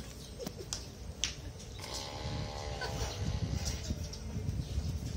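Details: Dog snoring at a train station in Kanchanaburi, low rough rumbling breaths rasping steadily through the clip over station hubbub, with a faint voice and scattered clicks in the background.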